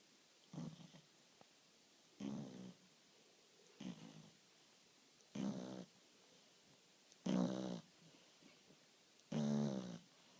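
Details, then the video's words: French Bulldog snoring gently while asleep: six short, low, raspy snorts, each under half a second, repeated roughly every one and a half to two seconds in a quiet room. "French Bulldog's Snoring Gently"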